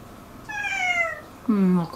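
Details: House cat indoors amid territorial friction between resident cats Turi, Madhu and newcomer Miko; a long descending meow is followed by a lower, louder nasal meow overlapping a woman's voice, then a short clipped cry.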